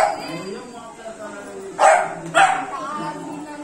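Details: Young Beagle, three months of age, at play with water, letting out two quick harsh barks about half a second apart amid a murmur of human voices.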